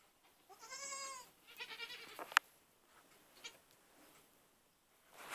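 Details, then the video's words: Young goats, newly acquired, on a farm; one bleat with stacked wavering harmonics around the first second, followed by softer broken calls and a sharp click, then quiet rustling and a brief noise at the end. "baby goats"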